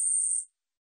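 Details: Long-winged katydid (Gampsocleis ussuriensis), song.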